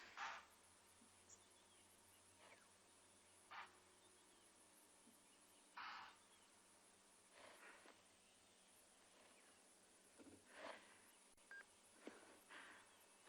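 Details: Impala in South Africa give sharp, explosive alarm snorts at irregular intervals over a steady insect hum on a morning after a leopard kill, likely still alarm calling at a hyena that stole the carcass.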